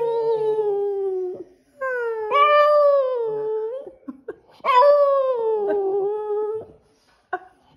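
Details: After sleeping, the Boston Terrier named Skipper croons in three long, wavering phrases separated by short pauses, each swelling and bending in pitch, with small whimpers between them.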